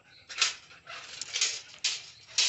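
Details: Seven-month-old Belgian Malinois at feeding time, 5 pm, whimpering while being told to sit and stay: high, thin, whiny bursts in four or five quick pulses, with a person's spoken commands nearby.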